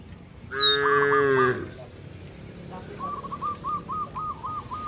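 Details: A cow in a village field calls its companions to head back to the barn with one loud, sustained moo, after which a long string of quick repeated bird chirps runs on in the background.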